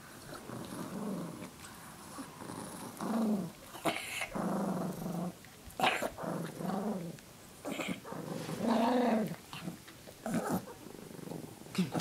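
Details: Koda, a Chihuahua interrupted while trying to relax, gives low rumbling growls in short bursts, rising and falling in pitch with brief pauses between them, in a quiet indoor setting.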